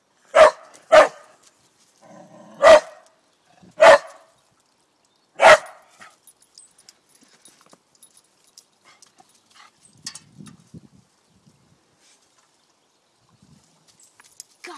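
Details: Fierce dog barking five times in sharp, loud bursts over about six seconds, each bark short and harsh, followed by near silence with faint rustling.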